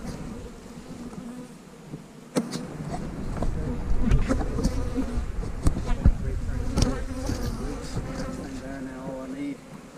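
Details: Honey bees buzzing during a hive-splitting day in March 2020, with queen cells in the splits: a steady low hum with harmonic bands, heavy low rumble, and scattered sharp clicks and knocks from handling the hive.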